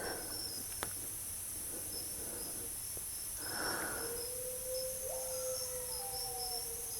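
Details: Coyote howl, calling started as soon as the group got out of the truck: a single thin, steady tone held level for about two seconds, then sliding upward and fading, over constant high insect buzzing and a faint thump.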